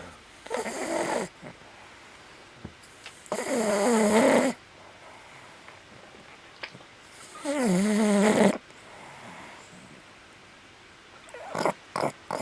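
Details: A Boston Terrier sleeping with one eye open snores in loud, rasping bursts about every four seconds, until another Boston Terrier interrupts him.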